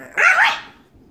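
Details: Pug, a pet dog wanting to play with another pug, gives a single short bark rising and falling, bright and mid-pitched, lasting under half a second in a quiet room.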